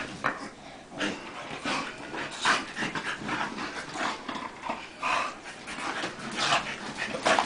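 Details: Tank and Bofa, two dogs wrestling playfully, make panting huffs and short noisy growl-like bursts about once a second, uneven in rhythm, with a few faint higher squeaks.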